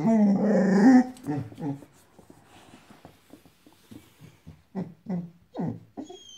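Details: A five-month-old female Boxador puppy, inside, gives one sustained rumbling growl at her Pinky Pig toy. It trails into soft grunts and scattered short huffs, with a human voice faintly mixed in.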